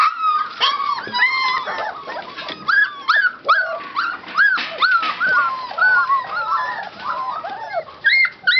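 Golden Retriever puppies whimpering, a rapid overlapping chorus of high, arched whines and yelps.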